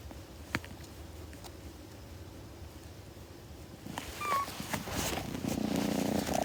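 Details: Kitten purring close to the microphone: near-silence with a few faint clicks at first, then a low rumbling purr with soft grooming-like rustles building over the last two seconds.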